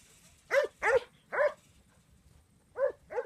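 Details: Fifteen-month-old Huntaway Syd barking after being told to sit: three quick, sharp, ringing barks, a gap of over a second, then two more.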